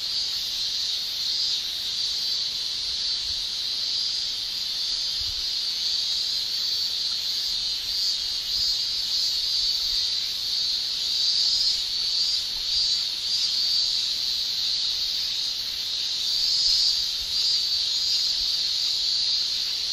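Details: Japanese summer chorus of male cicadas, a steady piercing high-pitched shrill, nearly unbroken for the whole stretch, with slight surges in loudness and no other clear sounds.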